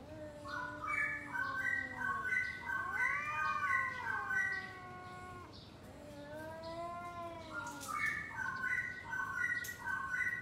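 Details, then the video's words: Pre-fight exchange between two domestic cats, a low moaning yowl overlapping a higher warbling voice that rises and falls in stepped pulses, the pair trading drawn-out growling howls for ten seconds. "Kucing Ngobrol Sebelum Tarung | Cat Fight | Suara Kucing"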